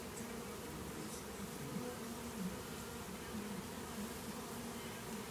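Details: Many Western honey bees give a dense, steady, low continuous drone during a cutout of a hive from an old hot water tank.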